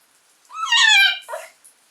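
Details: Shiba Inu puppy named Sora playing alone indoors because his owner will not play; a short rising, squeaky whine with stacked harmonics, followed by a brief lower yelp.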